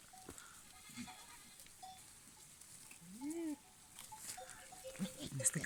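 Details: A rutting male goat (billy goat in heat) gives a brief, arched, nasal bleat while courting females, one a brown-and-white nanny, over a man's voice.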